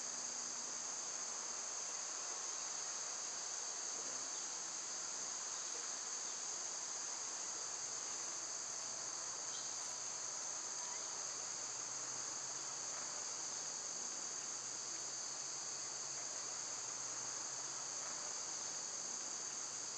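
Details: Cicadas in summer, a steady high-pitched hiss holding one even band throughout, unbroken and fairly soft, with a faint low rumble beneath.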